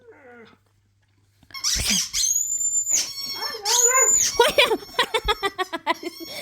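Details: Siberian Huskies, set off by their squeaky toy, give short, wavering howls among shrill, repeated squeaks from the toy.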